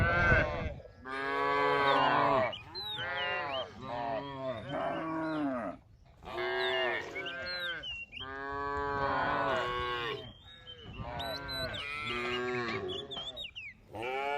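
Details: A group of cows roaming and grazing in a rice field; repeated long, rich harmonic moos, several overlapping, each lasting one to two seconds with short gaps, and thin whistled bird calls above.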